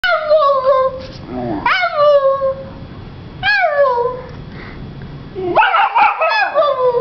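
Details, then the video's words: Young female Vizsla puppy who has just learned to use her voice, answering her owner back: a series of high, bending whines that slide downward, separated by short pauses, ending in a rougher burst of yips. "Vizsla Pup, Honey, Talks Back"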